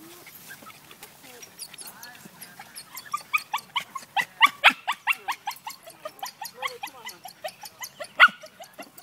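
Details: Tara, a terrier, faced with a rat in a can, gives a quickening run of sharp, high yelps and yips that start sparse and build into a rapid, nearly continuous burst over the last seconds.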